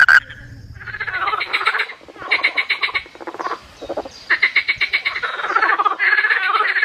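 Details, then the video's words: Frogs calling at night: dense bursts of rapid, rattling pulsed croaks from several animals overlap and come in waves, with brief quieter gaps between surges. "Did You Ever Hear Frogs Sound Like This?"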